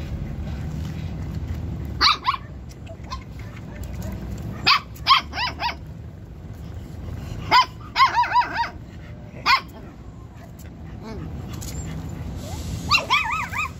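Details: Jack Russell Terrier at a stud mating session barks in sharp bursts of one to four, near 2, 5, 7.5, 8, 9.5 and 13 seconds, with quiet gaps and low background rumble between them.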